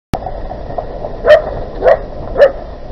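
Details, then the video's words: Dog barking during an attack on 20 August 2018 in Küstrin-Kietz, Oderbruch, Brandenburg, Germany, where a free-roaming Newfoundland set upon a leashed Keeshond outside a property; three sharp barks about half a second apart over steady background hiss. "Hundeangriff 20 08 2018 im Oderbruch in Küstrin Kietz, dog attac - Newfoundland dog attacs Keeshond"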